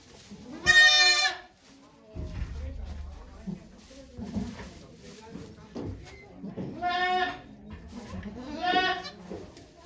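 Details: Goat named Okayu giving birth to two kids at Yoshigake farm, Japan, 3 May 2023, watched by many volunteers; three loud strained harmonic bleats, one early and two near the end, between murmured human voices and rustling.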